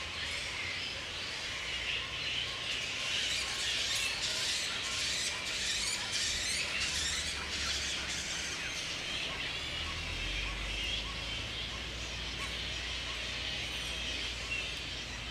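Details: Grey-headed flying foxes roosting in the wild at Woodford, Australia, mid-April, during the breeding season when mating pairs gather. Continuous high, scratchy squabbling and chirping, louder in the first half, with a low rumble near the end.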